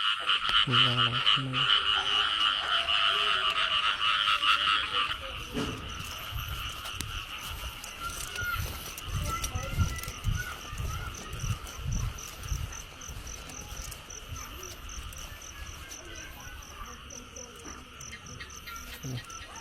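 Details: Frogs in the year's early rains during frog catching: a loud pulsing chorus with a few deep croaks at first, then fading to a softer trilling background with rustling and splashing.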